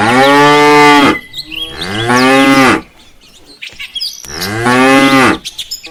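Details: Herd of tame cattle returning to the farm pen on an afternoon, repeated loud moos, two close together then another after a quiet pause, with faint bird calls behind.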